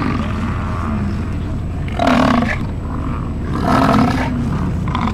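An American bison gives two deep, rough roaring bellows, each about half a second long and a second and a half apart, over a low steady rumble.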